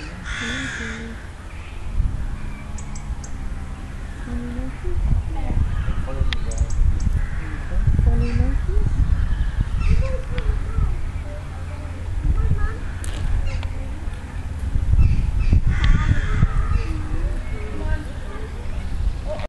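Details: Agile gibbons at Fota Wildlife Park, County Cork, Ireland, give loud, hooting whoops that swoop up and down in pitch in uneven bursts, with human voices and a low background rumble beneath.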